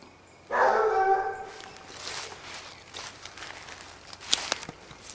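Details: Basset Hounds of the French Rallye de l'Allagnon line following a scent trail: one drawn-out, tonal bay lasting about a second, followed by footsteps and rustling in the undergrowth.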